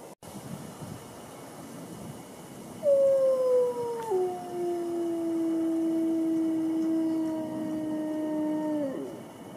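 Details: Single sustained wolf howl entering near three seconds, opening on a higher note, dropping in one step and holding a long, even tone until it tails off near nine seconds; faint background hiss throughout.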